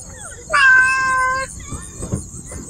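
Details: Domestic cat in Siem Reap, Cambodia, giving one loud, drawn-out meow of about a second, steady in pitch and dipping slightly at the end, followed by faint voices and soft knocks over a constant high insect-like hiss.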